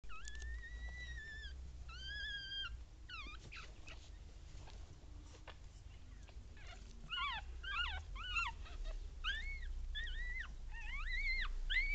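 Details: Newborn Papillon puppies with their mother Tinka, a litter of one female and two males born 16 April 2013, give high arched squeals and whimpers, some drawn out and some in quick clusters, over a low indoor rumble.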